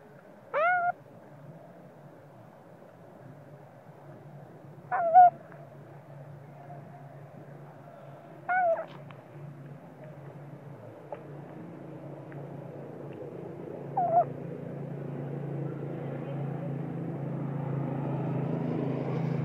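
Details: Spoiled baby monkey crying, angry with its mother when sleepy: four short, sharply bent screams spread several seconds apart, the last one fainter, with a low rumbling background swelling toward the end.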